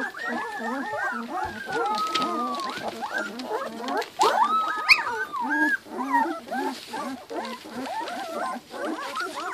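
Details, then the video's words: Litter of Giant Schnauzer puppies aged two weeks, crowded squealing and whimpering, short bent cries tumbling over one another, with one longer drawn-out whine and a few sharper yelps midway. "Giant Schnauzer puppies two weeks"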